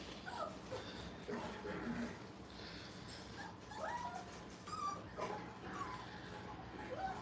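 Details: Five-week-old puppies playing at a puppy training kennel: scattered thin, high whimpers and short yips, some sliding downward, rise from a steady background hum and rumble.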